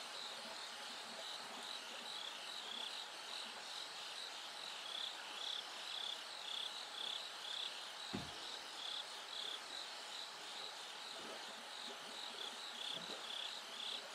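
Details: Bell cricket singing at night as it gradually grows brighter toward dawn: high, bell-like chirps repeated about twice a second over a dense hiss of other insects, with a low thump partway through.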